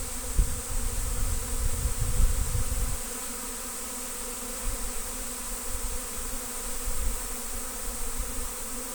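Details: Honey bee swarm being trapped in Destin, a huge swarm loud enough to be mistaken for an airplane spooling up: a steady, droning hum with layered harmonic tones, and gusty low rumbles of wind in the first three seconds.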